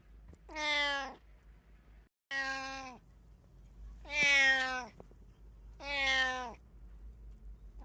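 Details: A domestic cat from a household of three gives four loud, drawn-out meows about two seconds apart, each steady and harmonic-rich with a slight downward bend at the end, in a quiet indoor room.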